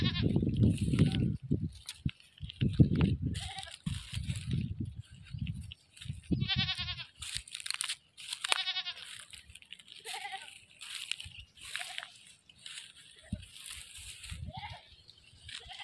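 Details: A captured goat facing slaughter gives two tremulous, vibrato-laden bleats around the middle, after an opening stretch of heavy low rumbling and knocking, with scattered scraping sounds afterward.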